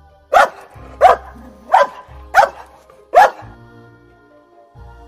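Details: Dog gives five loud, abrupt barks in quick succession, roughly evenly spaced, then falls silent while soft music continues underneath.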